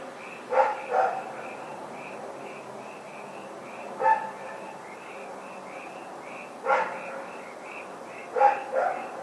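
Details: Night barking from Rex the dog on February 27, 2018: double barks spaced several seconds apart, with a continuous high chirping pattern, possibly insects or frogs, running between them and a low background drone.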